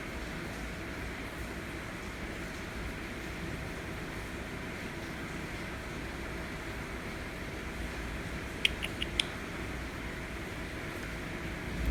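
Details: Steady low indoor rumble and hum throughout, with a few brief sharp clicks near the end and no animal voice.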